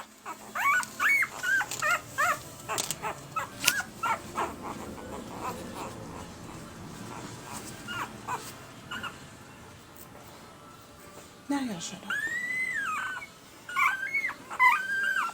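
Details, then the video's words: One-week-old red and sable male Pembroke Welsh Corgi puppies whining and squeaking, with many short high whimpers early, a quieter stretch, then longer rising-and-falling whines near the end; background murmur. "Red/Sable Boy Corgi Puppies @ 1 Week Old"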